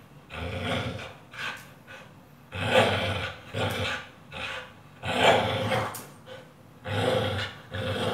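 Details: Pit Bull in training with a tyre, making loud rasping growls and heavy breaths that come in bursts of roughly one to two seconds, separated by short quieter gaps.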